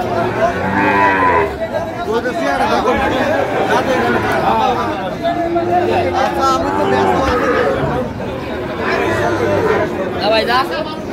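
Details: Sahiwal breed bulls in Tangail, Bangladesh, on 9 May 2025 as a farmer buys cattle; deep moos, one near the start and another near the end, half-buried in continuous human chatter.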